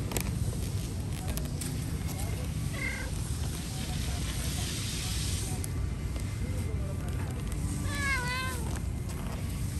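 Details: Cat asking for food: a short faint cry early, soft low sounds, then one clear drawn-out meow that rises and falls near the end, with background rumble and faint voices.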